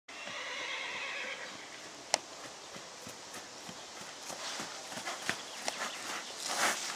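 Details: Friesian Baroque stallion neighing: a harmonic, wavering whinny in the first second and a half, followed by sharp clicking knocks and scattered thuds that sound like hooves on a hard surface.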